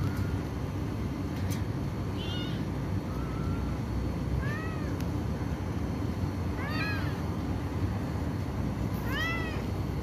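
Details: Kitten of Black Mama with diarrhea and weight loss, offered tuna broth and glucose water to prevent dehydration; repeated arched, bending meows, about five across the stretch, some doubled, against a continuous low mechanical hum.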